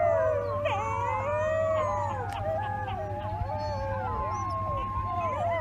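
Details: Overlapping howls from a group of wolf pups, long sliding tones interweaving at different pitches without pause, backed by a constant low hum.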